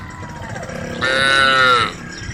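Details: Cows walking home along a road through forest; one loud drawn-out moo lasting about a second rises out of low rumbling background noise.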